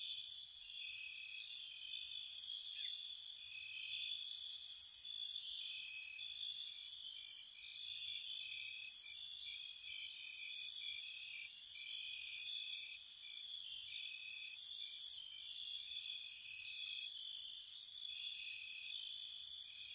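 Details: Crickets chirping at night in spring around a cottage: a steady high trill band with bright, short pulsed bursts recurring every second or so, layered continuously with no other sounds.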